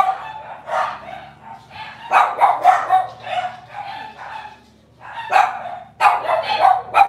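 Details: A litter of Cavalier King Charles Spaniel puppies yips and whines indoors, quick high-pitched cries in clustered bursts about four per second, a short lull near the end, then renewed squealing.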